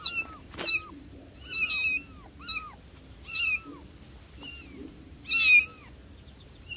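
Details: Domestic cat giving a string of about seven short, high, curving meows at uneven intervals, with a brief sharp click near the start and a quiet indoor background.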